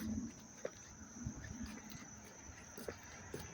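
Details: Crickets chirping up close in Dobbs Ferry, New York, on August 19, 2025, in dry, warm weather: a steady, thin, high-pitched trill runs unbroken under a low outdoor murmur and a few soft knocks.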